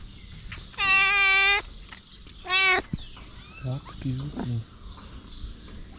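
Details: Stray mother cat with her kittens: a long clear meow, then a shorter rising one, followed by a few low soft chirps, in a quiet outdoor setting.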